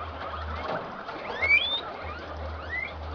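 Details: Farmed guinea pigs in Peru during mating, with an improved Inti-line male trying to mount the females. Several thin, high whistled chirps sweep upward against a soft background of squeaks and a low electrical hum.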